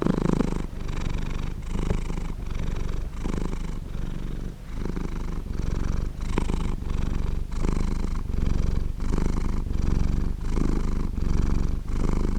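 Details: Pet cat purring continuously at close range, a deep buzzing rumble in regular breath-paced surges, around forty per minute, with nothing else heard.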